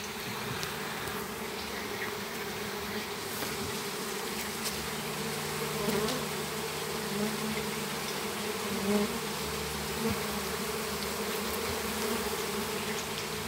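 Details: Swarm of Apis mellifera honey bees being captured in a backyard in Campo Grande, Brazil; thick unbroken buzzing of many insects over thirteen seconds, with faint clicks and small knocks scattered through.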